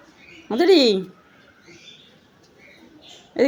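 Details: A pet cat sitting to catch a fly gives one short meow, rising then sliding down in pitch over about half a second, with a woman talking softly before and after in a quiet room.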